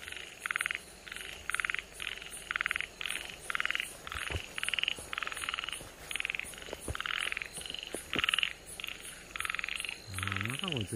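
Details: Namie's frog, a nationally rare species and Okinawa Prefecture natural monument, recorded 31 July 2022: a steady run of short, buzzy, pulsed croaks repeated roughly twice a second, with a brief low rising sound near the end.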